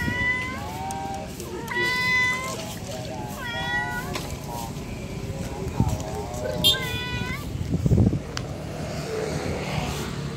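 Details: Female domestic cat meowing to call her kittens: three or four clear harmonic meows in the first seven seconds, then fainter sounds with thumps and background noise.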